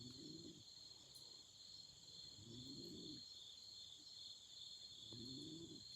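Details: Beside a campfire on an autumn night, insects keep up an even, high continuous trill, while low warbling hoots sound three times, about two and a half seconds apart.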